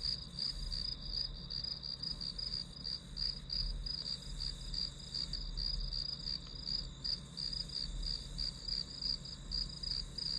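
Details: Continuous grass insect chorus: a bright, high-pitched trill pulsing roughly three times a second without pause, over a faint low hum.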